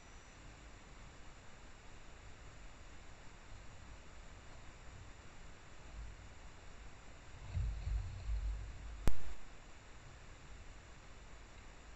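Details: Quiet low rumbling background, with a brief louder rustle and a sharp knock near the end and no animal voice.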